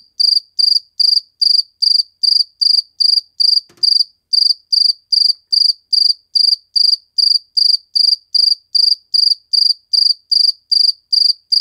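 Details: A cricket chirps steadily in short high-pitched pulses, about two or three a second, recorded in slow motion.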